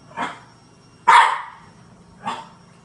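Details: Male French bulldog puppy barking at a green washing basket he is scared of: three short, sharp barks about a second apart, the middle one loudest, in a quiet indoor room.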